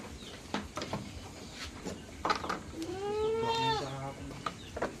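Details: A single drawn-out, wavering goat bleat sounds in summer on a farm where the goats get salt and molasses drinks, preceded by sharp knocks and clicks from the pen.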